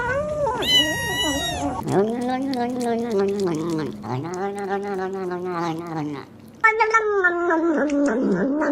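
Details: Domestic cat making strange noises while eating: a high squealing wail opens, then long, wavering, moaning calls run almost without a break, rising and falling in pitch, with a sharp restart near the end.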